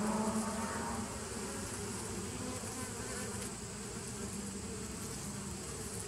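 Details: Bees on 27 September 2018 give a low, even humming buzz, slightly louder at first, then settling into a steady drone.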